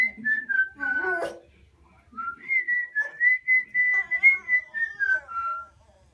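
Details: Gizmo, a pet dog, sings along to the owner's whistled tune: wavering, harmonic howls rise and slide beneath a clear, steady human whistle, with quiet gaps between phrases.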